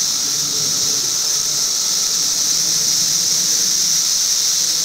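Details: Periodical cicadas filmed in 2008 as study footage: a steady, unbroken high hissing buzz fills the whole recording, with a fainter thin tone running beneath it and no pauses.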